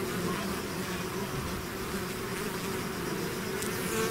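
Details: Bee swarm leaving its hive, a dense steady hum of many insects with bright drone bands layered at low and mid pitch, continuous and even throughout, brief faint ticks near the end.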